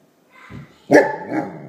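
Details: Male Weimaraner indoors barking at someone passing by outside whom he dislikes: a low grumble, then one loud, gruff bark followed by a softer second bark.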